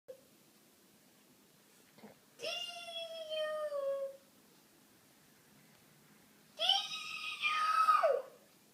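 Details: Pet dog making weird noises while playing, set off by the noises of someone playing with him; two long, drawn-out tonal cries, the first sliding slowly downward, the second wavering then dropping sharply, with a quiet pause between.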